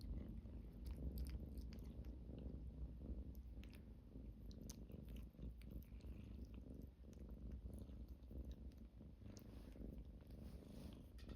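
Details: Cat purring steadily indoors, a continuous low rumbling drone with a fast, even pulse, slight swells in loudness and scattered soft clicks and rustling on top.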